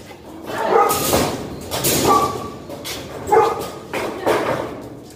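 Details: Golden retriever barking when food bowls are picked up, the dogs described as aggressive; a few loud barks come about once a second with pauses between, in a large echoing room with some background speech.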